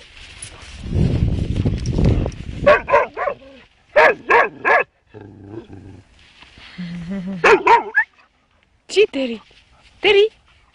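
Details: Pet dog barking in quick bursts of two or three sharp barks, repeated several times, mixed with people talking and a rumbling noise at the start.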